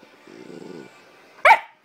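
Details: A 9-week-old Bullmastiff puppy talks back: a low, wavering grumble about half a second long, a short pause, then one sharp, loud bark. The room is otherwise quiet.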